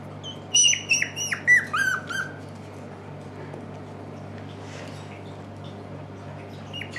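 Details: Puppies at a Shiba Inu and Samoyed breeder in the Netherlands, November 6, 2018, now awake for longer spells: a quick flurry of high, sliding squeaks and yelps for about two seconds, then only a low steady hum indoors.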